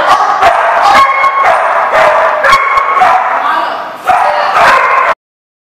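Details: Barking from a group of dogs at a dog lot on June 30, 2014: irregular, overlapping harsh barks and yips for about five seconds, briefly dipping before a final burst, then abrupt silence.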